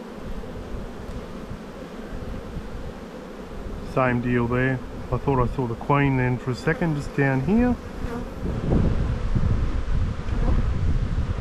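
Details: Spring buildup hive inspection in an Australian bee yard, 7-9-22: a dense, even hum of honey bees opens and closes the recording, with a stretch of male speech over the buzzing in between.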